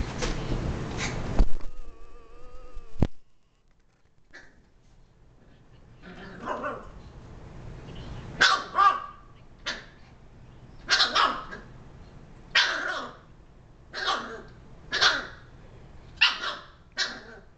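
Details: Female pet Shiba Inu named Mira barking indoors, with a cat in the home: after a brief steady tonal squeal and a sharp knock, about ten short, harsh barks follow, spaced roughly every one to one and a half seconds.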